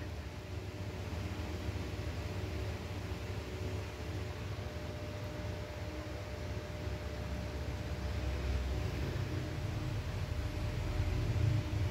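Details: A steady low hum of traffic or machinery with broadband hiss runs the whole time, and no animal calls stand out.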